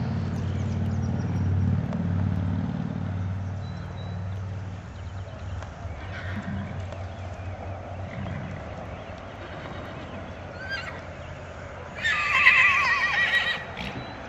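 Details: Future, a grullo registered Missouri Fox Trotter stallion, at his first public event, an EXCA competition in May 2010: a short wavering whinny rises near the end, after low rumbling background noise and faint hoofbeats.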